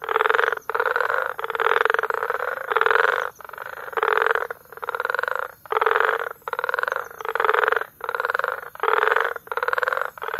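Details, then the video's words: Frogs calling together in May near Bagamoyo, Tanzania: long, buzzing, rattled croak trains of about half a second each, following one another almost without break in a loud, steady chorus. "Frog Sounds"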